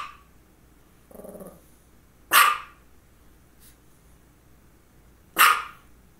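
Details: Female dog barking around two focal seizures, one just before and one shortly after: a softer low grumble, then two sharp, loud barks about three seconds apart, with quiet pauses between.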